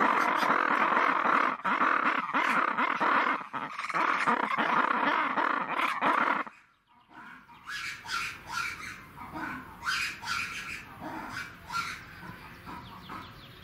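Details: Red ruffed lemurs (Varecia rubra) let out a harsh, raucous screaming chorus of rapid pulsed shrieks that cuts off abruptly.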